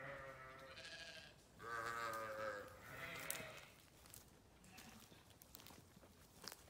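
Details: Sheep bleating in three wavering, harmonic-rich calls, each about a second long, with short pauses between them, followed by quieter background noise.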